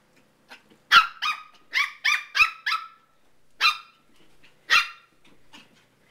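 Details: Gnocchi, a nine-week-old Papillon puppy, indoors during his nighttime ritual of sprinting from toy to toy while playing with Teddy the cat: a quick burst of sharp, high yappy barks, then two more spaced barks after short pauses.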